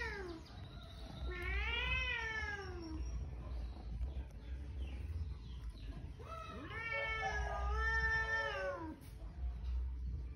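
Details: Cat from a cat family giving two long, drawn-out meows, each rising then sliding down in a wavering, caterwaul-like arc, about four seconds apart, over a steady low rumble.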